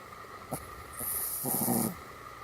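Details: Pomeranian dog giving its morning and night greeting: a single drawn-out, harmonic, groaning vocal sound lasting about a second, preceded by a short click, over a steady electrical hum.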